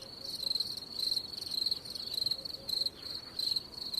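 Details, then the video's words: Cricket chirping steadily: short, shrill, high-pitched pulsed bursts repeated roughly every half second with slightly uneven spacing, set over a faint low background hiss. "cricket sound effects"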